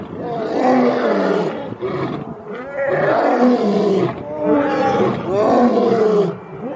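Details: A lion gives three long, throaty roars, each a rising and falling moan with a rough, grinding edge.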